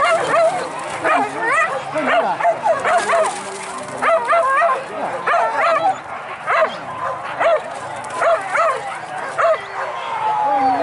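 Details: Hunting dogs chasing wild boar in Minangkabau, West Sumatra, Indonesia: many dogs giving high, arched yelping barks in rapid overlapping bursts, with human voices and a dense outdoor background throughout.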